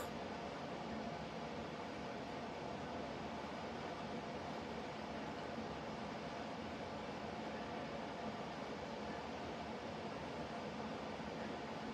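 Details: Steady broadband hum like a fan or distant traffic runs unchanged for the whole stretch, with no animal voice.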